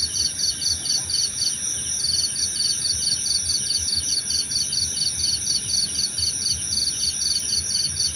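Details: Cricket chorus meant for relaxation and sleep, with rapid pulsed chirps repeating roughly twice a second above constant shrill insect hums and a faint low rumble underneath.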